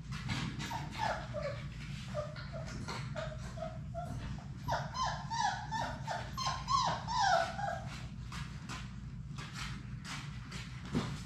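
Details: Six Labrador Retriever puppies at play in their puppy room; many short, high whimpers and yelps, downward-sliding and repeated roughly twice a second, busiest midway, with scrabbling paws and a low background hum.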